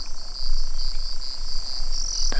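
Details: Crickets keep up a steady, high, shimmering trill at dusk in the Kenyan bush, with lions feeding on a wildebeest kill nearby, over a low background rumble.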